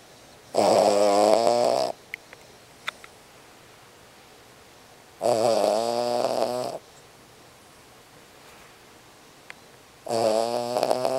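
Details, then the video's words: A small Cavalier King Charles Spaniel snores loudly in long, rasping, harmonic-rich breaths about every four seconds, keeping a corgi beside it awake. "Dog Snoring! King Charles Cavalier Spaniel wakes up Corgi!"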